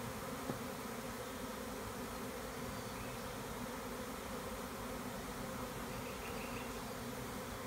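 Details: Honey bees of a big swarm, split from an overcrowded hive with their queen, hum continuously as a beekeeper removes them in Tuscany's Maremma; even, thick buzzing drone with one brief click near the start.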